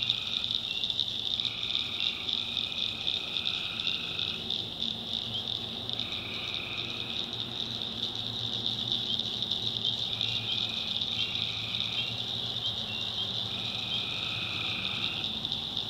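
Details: Swamp at night in the North Carolina backwoods, where tree frogs keep up a shrill continuous trill, joined by repeated lower buzzy calls in short overlapping bursts of one to two seconds throughout.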